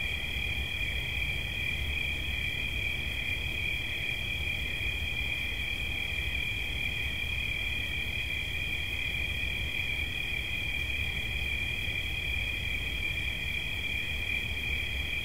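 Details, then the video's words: A cricket sustains a constant high-pitched trill throughout, never breaking rhythm, over a soft low hum of environmental noise. "Świerszcz. Dźwięki relaksacyjne"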